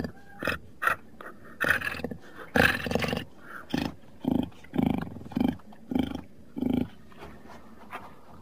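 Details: Jaguar producing a series of about a dozen short, hoarse grunts, roughly two per second, the rasping bursts steady at first and softening toward the end.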